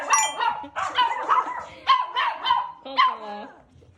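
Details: Pet Toy Poodle at home in Japan during its last days before leaving for America: a quick series of about seven short, yappy, harmonic barks and yips over four seconds, with a person talking nearby indoors.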